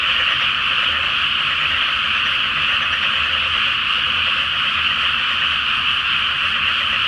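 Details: Massed frogs calling at night in a flooded rice field ahead of planting, by the light of the full Flower Moon: a steady, pulsing blanket of croaks with countless callers overlapping.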